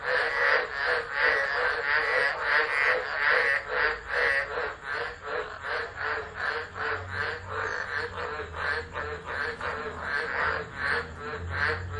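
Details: Chorus of tropical frogs in a tropical storm at Driver, Northern Territory, Australia, 13 December 2013, unattended phone recording; fast, crowded croaking pulses run continuously, with a low rumble rising midway and steady background hiss.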